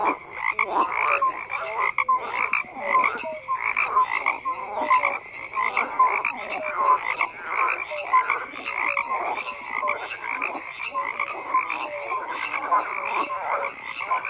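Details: Many frogs calling together in a thick, continuous chorus; rapid pulsed croaks repeat in quick bursts about every half second, overlapping so no single caller stands apart.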